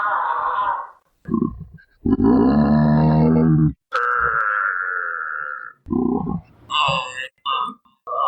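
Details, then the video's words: Giraffe vocalizing with low grunts and harmonic moaning calls, one long buzzy rumble near the middle followed by a drawn-out higher tone, then short broken grunts; sounds are low, as giraffes are described as quiet animals rarely heard. "Giraffe Sounds (3 Minutes) – Giraffe Calls"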